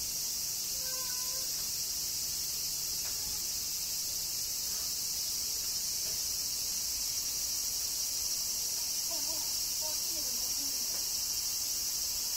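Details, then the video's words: Cicadas in summer rain in Kyoto, Japan: a steady, dense, high-pitched droning chorus without pause, with a few faint short tonal chirps lower down near the start and again near the end. "Cicadas Summer Rain - Zen Sounds of Kyoto, Japan"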